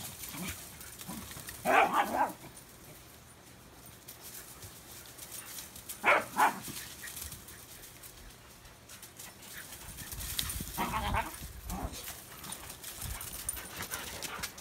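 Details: During play with a Belgian Tervuren, a Swedish Vallhund herds and circles; three abrupt barks, some doubled, spaced four to five seconds apart against constant broadband noise.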